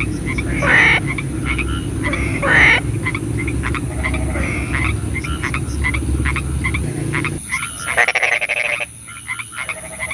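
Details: Frogs calling at night in the rain: loud rasping croaks with strong ringing notes near the start, over a steady low rumble of rain, then a sudden shift to thinner, rattling calls near the end.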